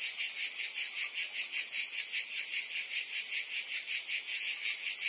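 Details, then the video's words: Summer cicada chorus from Provence in France, a shrill continuous rasping drone that throbs in quick regular pulses, about two or three each second, with nothing else heard. "Cicadas singing in France (Provence)"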